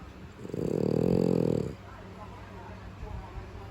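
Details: Sleeping pet French Bulldog: one low, rough, buzzy snore-like breath lasting about a second, with a steady harmonic rumble, then quiet room hiss with faint low noise.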